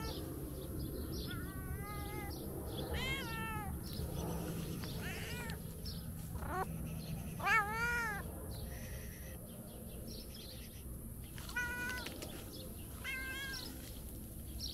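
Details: Talkative tabby cat, a stray in Turkey, meowing as it wakes up for breakfast: a run of harmonic meows, some rising then falling, others bent and wavering, spaced about a second apart over steady low background rumble and a high hiss.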